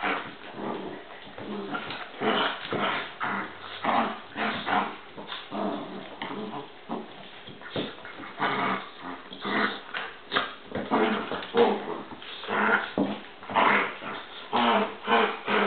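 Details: Two dogs fighting indoors: a long run of rapid, irregular snarls, growls and occasional sharp yips, about one burst a second with barely any quiet between, rough and harsh throughout.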